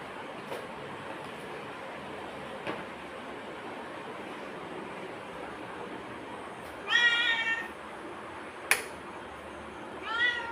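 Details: Pet black cat conversing with its owner, who coaxes it in Tamil with prawns; steady hiss and a few clicks, then two short tonal meows about three seconds apart near the end.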